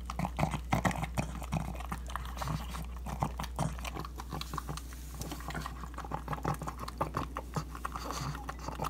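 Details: Indoor pug devouring ground beef for breakfast, recorded with an iPhone 7; rapid snuffling grunts and smacking chews come in close clustered bursts, with a constant low background hum.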